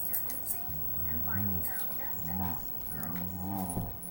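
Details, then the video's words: Female Siberian Husky "talking" at home: drawn-out, moaning vocal sounds that rise and fall, roughly one per second, with a few shorter grumbles between. "making husky noises"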